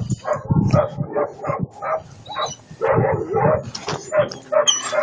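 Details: An eight-month-old German Shepherd puppy named Attila ot Salmoxis gives a busy stream of short yips and muffled barks in quick succession, some low thumping underneath.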